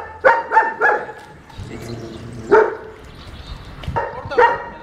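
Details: A German Shepherd described as hard to manage, in training for the second time, gives three quick barks, then one lone bark, then two more, with a low hum and soft noise between them.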